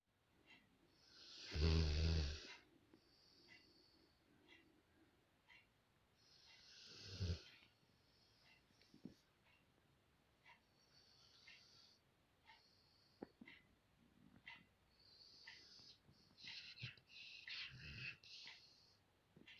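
A sleeping Rottweiler snores with deep, rumbling breaths and occasional louder snorts.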